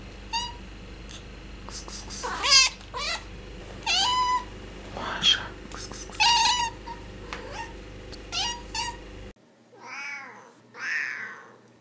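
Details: Cats meowing to attract a pet cat or reassure a new kitten; a run of short, quick meows and chirps in a small room, then two longer, louder meows against near silence.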